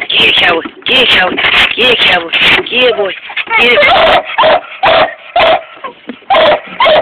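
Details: A 7-month-old Treeing Walker Coonhound puppy barks at a coontail, giving rapid, high yelps with a rising and falling, bawling tone.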